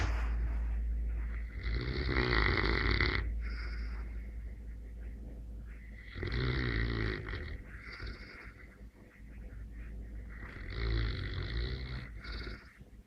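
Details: Neapolitan Mastiff asleep, snoring in slow cycles: three long rasping breaths roughly four seconds apart, each a broad rumbling rattle with quieter wheezy pauses between.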